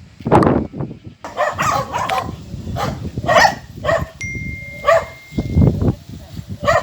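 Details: Several small dogs, four kept together by one man, bark in a run of rough, broadband yaps spread over several seconds, opening with a burst of speech, a brief electronic tone partway through.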